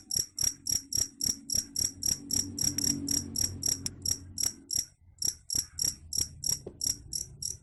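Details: Cricket calling, its sound said to repel rats: a steady run of bright, high-pitched chirps, roughly three or four per second, over a soft low rumble that fades midway.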